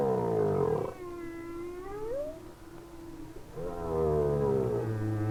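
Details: Humpback whale song in winter, from a lone whale, probably a male, moving very slowly or not at all, possibly singing to attract a female. Low harmonic moans, then a long gliding note that rises at its end, then another rich moan.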